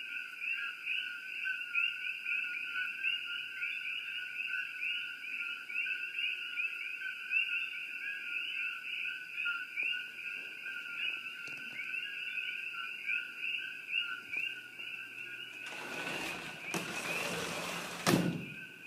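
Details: Coqui frogs calling together at Shakti-Shiva Palace, a dense ringing chorus of repeated high chirps for most of the recording, then loud rustling and handling noise in the last few seconds.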